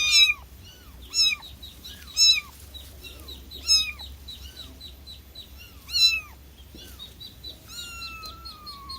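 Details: Meowing cat, short insistent mews at first in quick succession, then a pause, ending with a longer, thinner drawn-out meow; faint background hum throughout.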